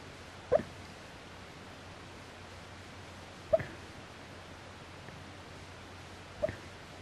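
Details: Dog wedged into a narrow space, snoring heavily: three short, whistling nasal snores spaced roughly three seconds apart, each a brief squeaky burst over a steady quiet indoor background.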